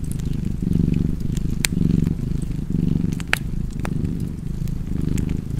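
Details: Cat purring in a warm fireside setting, a rumbling low buzz in breathy surges, overlaid by occasional loud cracks from the fireplace.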